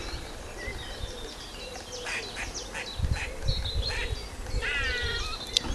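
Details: An eastern grey squirrel (Sciurus carolinensis) in a tree, wagging its tail and seemingly alarmed by something other than the filmer, gives short, high squeaks in scattered bursts over a low wind rumble.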